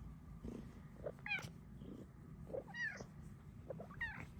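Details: A cuddle-seeking female cat at home, making a series of short, high, trilling meows about every second, each a quick rising-then-falling chirp, over soft purring in a quiet indoor room.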